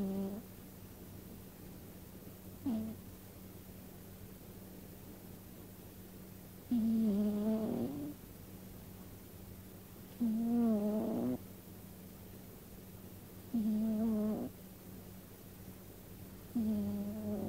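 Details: A domestic cat snoring in its sleep indoors. Buzzy, harmonic-rich snores about a second long repeat every three to four seconds over a steady low electrical hum.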